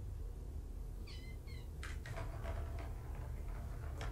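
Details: Shelter kittens at Purrfect Pals, part of five from two litters surrendered in Tacoma, on an afternoon visit; two brief high meows in quick succession, followed by clattering and knocking sounds in a small room.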